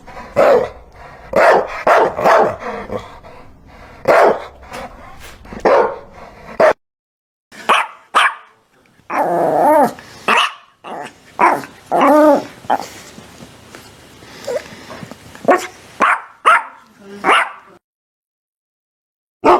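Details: Dog barking irregularly over a long stretch, with scattered single barks, a few rapid clusters, and some drawn-out, wavering growly sounds in the middle.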